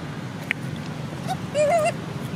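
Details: Sweetpea, a sleepy monkey, crying to call its mother and wanting Popeye near him; a brief wavering mid-pitched whimper, preceded by a short squeak, over a steady low background hum.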